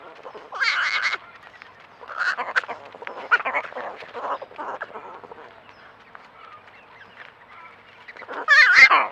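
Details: Javelina babies making cute noises: harsh, nasal squealing bursts in about five bouts, loudest at the start and end, with a quieter stretch of softer grunting in between.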